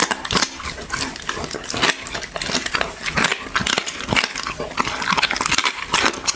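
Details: Close-miked dog eating for ASMR, with bursts of crisp, crunchy chewing in quick, irregular series and brief gaps between bites.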